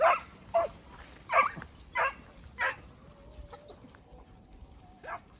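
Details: Segugio Italiano puppies of 8 and 17 months together with their father Geko: a run of five spaced barks about every half second, then a quieter pause and one last bark.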